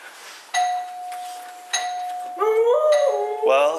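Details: Doorbell chimes ring twice, then Misha the talking dog, excited, replies with a short wavering, rising-and-falling howl that ends in a higher yelp-like note; a voice is heard nearby.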